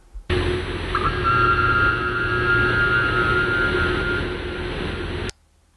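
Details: A minke whale (Balaenoptera acutorostrata) gives its boing call underwater: a brief knock, then a long, steady, weird metallic twanging tone.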